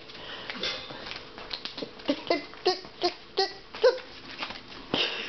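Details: Puppy attacking and tugging at a long-haired mop indoors, giving short rasping growl bursts roughly once a second, mixed with scuffling and clattering of the mop in a small room.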